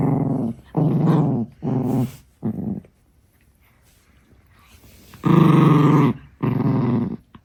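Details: Six-month-old female Chihuahua puppy growling indoors when her favourite stick is touched; four low rasping growls in quick succession, a silent gap of about two seconds, then two longer, louder growls.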